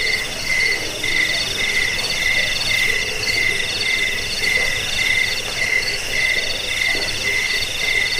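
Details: Crickets trilling together in a recording meant to drive off rats and help with sleep and bird training; a steady shrill buzz with softer, evenly spaced pulses, many insects blending into one continuous sound.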